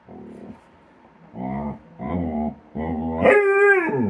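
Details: Domestic dog vocalizing during play with a companion animal: low growly grumbles in three short bursts, ending in a higher drawn-out howl-like whine.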